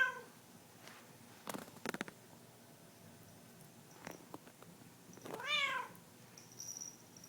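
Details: Cat after having catnip, lying on a soft wool carpet; a single clear meow near the end, rising then falling, after scattered soft rustles and clicks, with a faint high tone afterwards.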